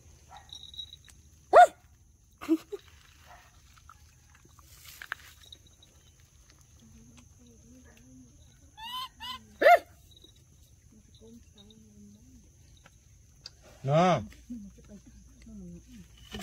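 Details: Dorn and Dum, two baby monkeys, in their daily life: a few sharp, shrill harmonic squeals stand out, near the start, in the middle and near the end, separated by long quiet stretches with soft low murmurs and a faint steady hum.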